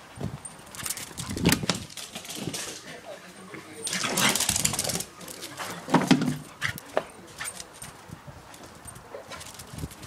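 A corgi gives short, excited barks and whiny yelps in uneven bursts, with people talking nearby.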